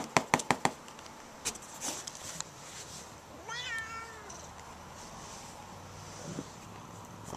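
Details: Siamese cat, overstimulated after being patted with a foam sword, attacks; a few quick taps open, then one clear descending harmonic meow rises above a quiet room with faint background sounds.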